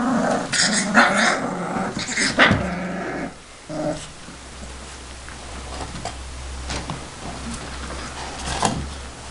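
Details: Young Saint Bernard puppies from Bagzi and Fany, Bagzi's Saint Bernard Kennel, Banja Luka, growl and grumble in short rough bursts early on, then fall mostly quiet with occasional small yips and scattered taps.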